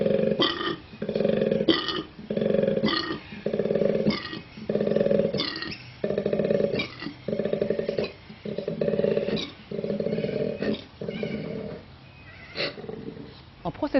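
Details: A koala bellows in a series of deep, rasping, snore-like pulses, each about a second long; its exceptional vocal apparatus lets it be heard across its territory of several hectares.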